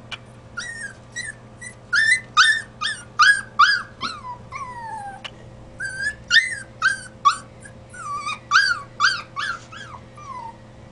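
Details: Bruno, a pet dog, cries in a fast run of high, arching whimpers, about two or three each second. A short pause splits them into two bursts, over a steady low electrical hum.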